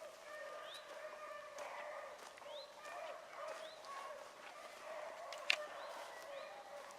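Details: Hounds chasing a rabbit, including a young Oakhill pup, hunting Salt Lake WMA on a February 2018 morning: long, drawn-out bays overlap in a steady distant chorus, punctuated by repeated rising high chirps and a sharp click near the end.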